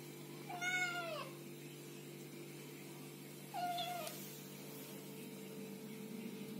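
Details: Two soft, fairly faint kitten meows a few seconds apart, thin and high, over a constant low humming background.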